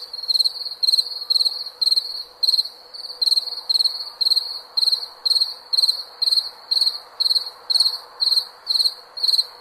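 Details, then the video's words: A cricket chirps for a calm night's sleep, its high buzzy pulsed chirps spaced about half a second apart and repeating steadily, above a faint low background hum. "SOM DE GRILO PARA DORMIR"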